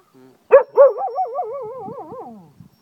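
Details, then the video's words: Pet Cocker Spaniel in Ajloun, Jordan, howling wolf-like: two loud barks, then a sustained mid-pitched howl with a regular warbling vibrato that gradually sinks and fades. "cocker spaniel howls like a wolf"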